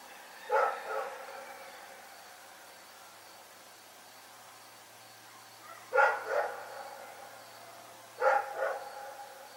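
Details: A dog named Rex barking at night: three doubled barks, a sharp note followed by a lower echoing one, the first burst separated by a long pause from two closer together near the end.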